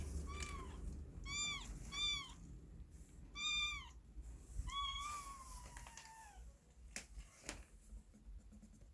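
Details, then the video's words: Kitten in a box crying, a handful of harmonic meows, one drawn out and slowly falling in pitch, with soft clicks and low indoor noise. "아기고양이 울음소리 猫の鳴き声 (猫ねこの鳴なき声ごえ) A sound of crying cat"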